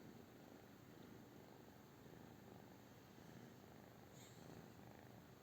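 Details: Soft, continuous purr of a British Shorthair cat, a low grainy rumble under a steady background hiss.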